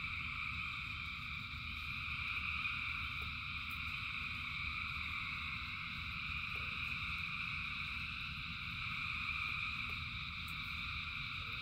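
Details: Thousands of frogs singing in rain: a dense, unbroken chorus of trilling voices stacked in steady high bands, with a constant low rumble underneath and occasional faint clicks.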